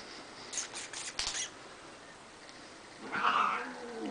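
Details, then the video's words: Cats fighting: clattering and scuffling noises early on, then after a lull a short, harsh, rough yowl near the end. "cats fighting"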